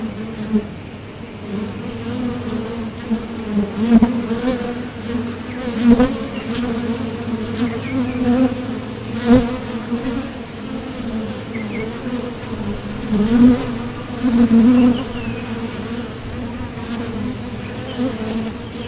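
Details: Honeybees at a Top Bar Hive entrance, leaving for and returning from nectar foraging: a persistent low buzz with a faint overtone, punctuated by repeated louder swells every few seconds as bees fly close.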